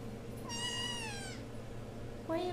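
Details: RagaMuffin kitten, eight weeks old, from the Vikings litter at Imperial Rags, indoors: one long, clear, slightly falling meow lasting nearly a second, then the start of a second rising mew, with a person's soft talk and a steady low hum.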